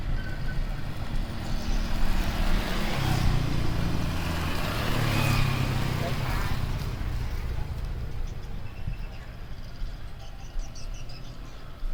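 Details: Road traffic rumbles steadily with passing vehicles and people talking in the background, and no animal voice is heard.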